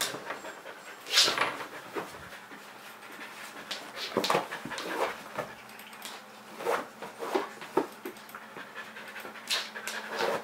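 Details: Pet Kerry Blue Terrier panting in excitement because he wants to play, rapid airy breaths in uneven bursts, a few sharper puffs and a faint whimper-like tone amid the breathing.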